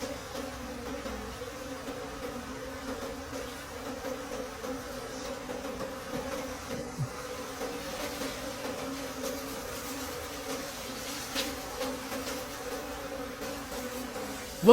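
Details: Forest wild bees droning through the season's last honey harvest, an unbroken, even buzz holding two steady pitches for the whole stretch, with occasional soft taps and a sharp knock at the very end.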